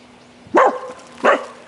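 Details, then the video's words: Jomon-type Shiba Inu giving two short, sharp barks about 0.7 seconds apart, each a brief harmonic burst, over a faint steady low hum. "縄文柴犬 啼いてみる"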